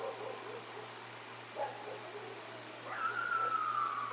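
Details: Coyotes calling near the Decorah Eagles North Nest, picked up by a live nature camera: soft scattered yips and wavering notes, then a drawn-out steady howl near the end.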